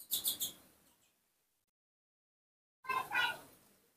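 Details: Baby monkey Nomi, cared for by people, calling when his father is not nearby: a quick run of three high, squeaky chirps, silence, then a second burst of bright, noisy squeals. A woman speaks Indonesian nearby.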